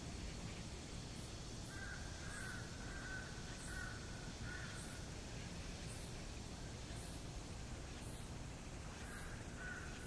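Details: Summer cicada chorus outside Gwanjeong Library on the Seoul National University campus: continuous piercing buzz punctuated by sharp pulsed bursts roughly once a second, some mid-pitched calls in between, and a heavy low background hum.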